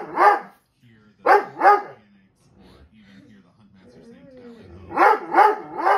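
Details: A Dobermann barks at dogs on television, giving loud, deep barks, singly and in quick pairs, over TV speech and music.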